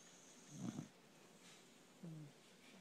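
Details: Beagle lying on its owner and snoring: one short, low, rough snore burst, then a brief whistling nasal tone a second and a half later, in a quiet indoor room.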